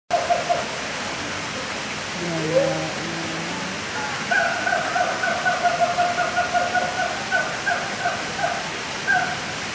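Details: A captive siamang (Symphalangus syndactylus) at Taman Safari Indonesia, Cisarua, Bogor, West Java, gives a long run of loud, pulsing whoops over steady rushing water.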